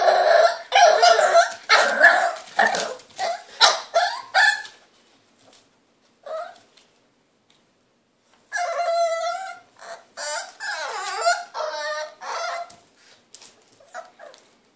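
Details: Cleo, a three-month-old French Bulldog puppy, barks and yips impatiently for a hand brush in a small room; rapid strings of sharp barks, then a pause and higher whining, wavering yelps before quieter scattered barks.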